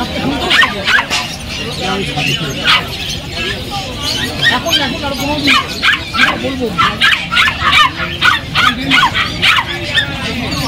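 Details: Golden Retriever puppies for sale at the Galiff Street pet market in Kolkata, India. Quick, high-pitched yips and barks come in rapid, uneven bursts throughout, with people talking and market chatter underneath.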